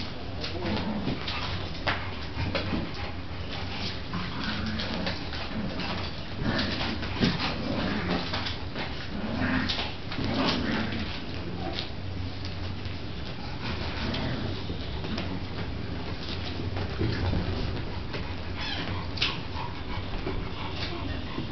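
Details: A dog playing with pups indoors, a busy stretch of scuffling, soft whimpers and occasional low growls and yips, with continuous rustling and thumping of movement throughout.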